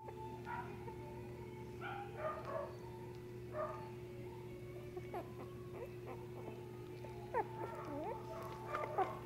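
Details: Shiba Inu puppy at a pet shop in Nara, Japan, giving soft, thin whines and short yips that bend up and down in pitch, scattered irregularly and growing more frequent toward the end, over a steady low electrical hum.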